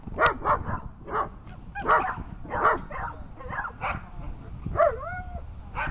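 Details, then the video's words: Female German Shepherd in protection training giving a steady run of short barks roughly every half second, ending with a rising whine-like yelp near the close. "немецкая овчарка Энджи.тренинг по защите"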